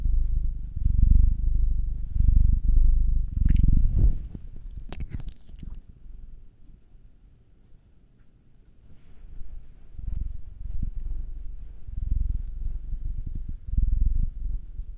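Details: Massaged house cat, one of a nine-year-old black male and a two-year-old female tortoiseshell Munchkin, purring in low rumbling bursts that break off midway amid scratchy rustles and soft clicks, then resume in slower pulses.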